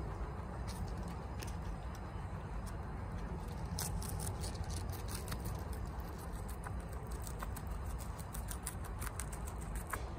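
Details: Fast munching of bok choy by Chia, a female pet guinea pig: dense bursts of sharp crackling bites and leafy crunches repeat many times a second above a low background hum.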